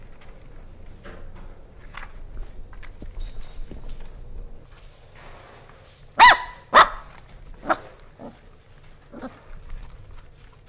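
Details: Hungry Corgi barking to wake its sleeping siblings: after quiet rustling, two sharp, loud barks come in quick succession, followed by a softer third bark and a faint one near the end, with low background hum.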